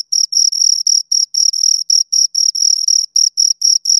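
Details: Pair of crickets heard close by, their high-pitched chirps arriving as short pulsed bursts roughly every quarter second, bright and ringing, some bursts slightly longer, against total quiet.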